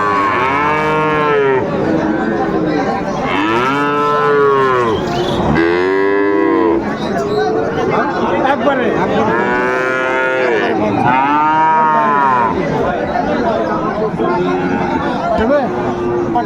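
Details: Friesian and cross-breed bull calves at Raniganj cattle market, Dinajpur, on 2 May, lowing repeatedly: about six loud, rich, harmonic moos that rise then fall, each one to two seconds long, with steady crowd murmur underneath.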